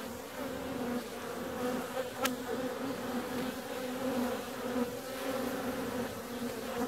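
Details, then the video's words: Bees on the wing on a warm February day, an even, layered droning buzz steady from start to end, interrupted once by a single sharp click a little past two seconds. "Bee's out on a warm February day."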